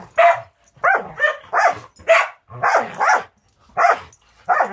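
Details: Two dogs at play, one being Angel, a six-month-old Border Collie mix in rescue foster care in Wisconsin; loud, yippy barks fire in quick pairs and singles, about eight in under five seconds, with a clean background.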